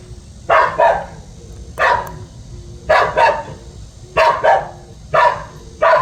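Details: Guard dog at home barking steadily, mostly in doubled harsh barks roughly every second, six bursts in quick succession, with a low constant hum behind.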